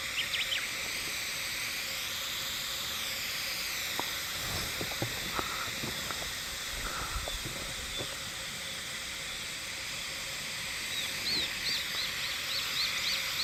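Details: Hime-harusemi cicadas heard but not seen, Yamaguchi Prefecture, Japan, 19 July 2022: a dense, steady high-pitched shimmering drone with layered bands runs throughout, with scattered low knocks and faint chirps near the end.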